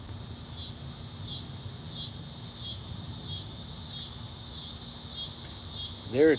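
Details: A loud chorus of cicadas in hot weather: a high, shrill buzz swelling and easing in steady pulses about every two-thirds of a second.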